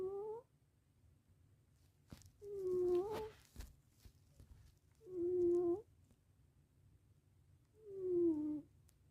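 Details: A male domestic cat snoring during a nap: nasal, whistle-like tones with slightly falling pitch, each lasting about half a second, repeating roughly every two and a half seconds with quiet gaps between breaths.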